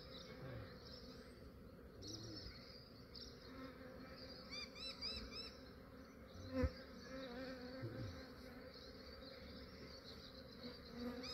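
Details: A massive honey bee swarm in Australia, collected by a beekeeper early in the morning before the bees warmed up: a steady low buzzing hum, with chirping birds above and one sharp knock partway through.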